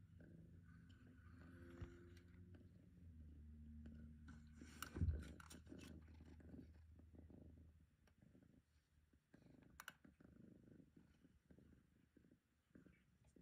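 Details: Pampered long-haired female cat purring with contentment during a brushing session on a person's lap; a deep, even rumbling purr holds strongly for about eight seconds, broken by a brief rustle, then fades into quieter handling sounds.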